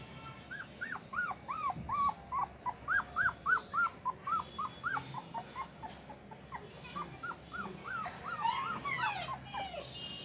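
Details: Show-quality Golden Retriever from Indore, Madhya Pradesh, India: a rapid series of high, arched whimpering notes, about three a second, rising and falling in pitch, with a brief louder burst near the end.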